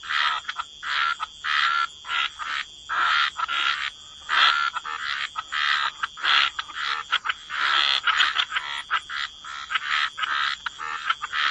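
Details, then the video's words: Frogs croaking in a chorus by the waterside, short rattling croaks in quick bursts from several callers, mid-pitched and grating, steady band of higher ringing tones beneath. "Relax to the Sound of Croaking Frogs"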